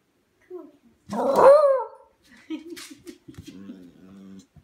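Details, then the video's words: Indoor Scottish Terrier asking for dinner: one loud, drawn-out whining yowl lasting about half a second, answered by an owner asking what it wants, then softer short murmuring sounds. "Scottish terrier asking for dinner"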